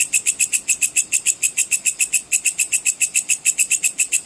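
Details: Sword grasshopper (belalang pedang cicir) offered as master sound for all competition songbirds, producing a bright, shrill, rapidly pulsed chirping at around three to four pulses per second, fairly steady with slight unevenness.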